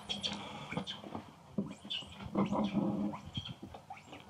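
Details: A young monkey cries in distress after another monkey stepped on her, with shrill, wavering squeals and lower whimpers in uneven bursts.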